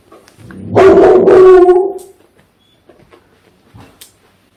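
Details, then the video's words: Pungsan dog, one of two Pungsan mixes named Happy and Manttang kept in the countryside, reacting in the morning to a ringing alarm clock as if sensing danger. One loud, drawn-out, strained howling bark of about a second, then near silence with faint knocks. "풍산개 긴급할때 내는 소리. 알람 소리에 어떻게 반응할까? Pungsan dog's strange sound. When the alarm goes off"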